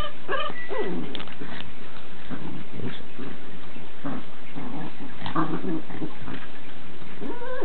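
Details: Two 10-week-old Boxer puppies give short whimpers and low growling noises, with a thin rising whine near the start and scattered scuffling sounds throughout.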